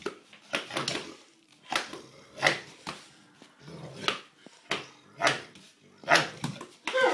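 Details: Female Doberman popping her jaw when excited or trying to speak or bark: sharp, clicky pops in uneven bursts about every half second to second, some with short voiced, whiny tones, indoors with little background noise.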